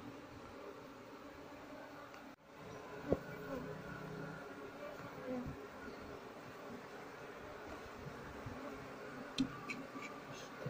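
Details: Harvest and relocation of an Asian honey bee colony nesting in a working loudspeaker, queen missing. A steady, even buzz persists throughout, broken by a short gap after two seconds and a few metallic ticks and knocks.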